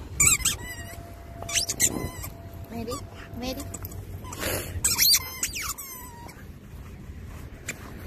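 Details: Pet Labradoodle keyed up while digging: repeated high, squeaky whines and yips, some sliding downward in pitch, scattered over steady low digging and rustling sounds, with a possible human voice faintly mixed in.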